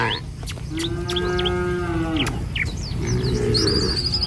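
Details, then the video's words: Tame village cattle in a herd walking a rural road in the morning on their way to a field to feed. One drawn-out, steady mid-pitched moo lasting about a second and a half, with bird chirps and whistles around it and a low rumble beneath. "Video Mengiring Suara Sapi Mouu"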